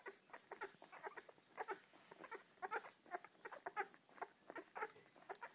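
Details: Litter of seven Springer Spaniel pups nursing on their mother Poppy; busy, overlapping squeaky whines and little yelps come in rapid uneven clusters throughout.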